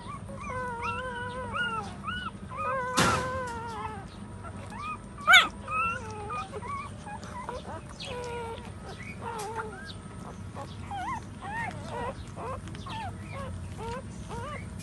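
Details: While their mother stands nursing them, puppies fill the air with a run of wavering high whimpers, then scattered short squeaks and whines, broken by a couple of sharp knocks.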